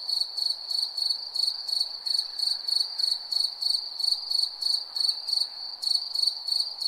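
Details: A chorus of crickets holds a bright, high-pitched trill that throbs in regular pulses about three per second, unbroken and with no background noise.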